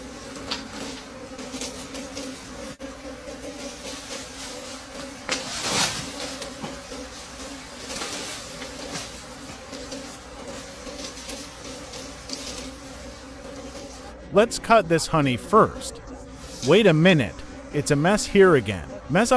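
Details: Buzzing of wild bees around dark honeycombs during a final forest honey harvest of the season: a continuous low drone with a higher overtone runs for about fourteen seconds, one rushing noise burst, then human voices take over near the end.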